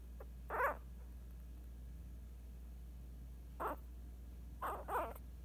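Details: Female Scottish Terrier puppy only 8 days old makes three short, soft squeaks spaced over several seconds against a quiet room hum.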